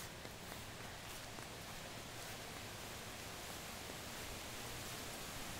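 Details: Steady broadband hiss like wind or rustling fills the clip, with no animal voice.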